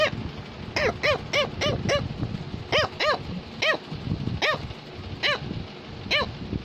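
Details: Pet Cavalier King Charles Spaniel trying to tell its owner something, giving bright, clipped barks in pairs and singles, spaced roughly a second apart, with soft music and room noise underneath.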